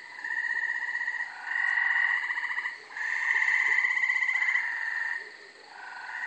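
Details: Night chorus of gray treefrogs calling from brush and trees behind a house in Carolina, Rhode Island, late May; bird-like pulsed trills from more than one frog overlap almost continuously, with slight pitch differences between callers.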